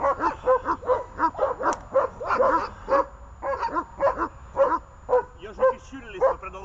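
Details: Dogs on a leash, named Glemmi, Fela and Rey, giving a rapid run of sharp barks, roughly two per second, uneven in spacing, with steady low background hum throughout.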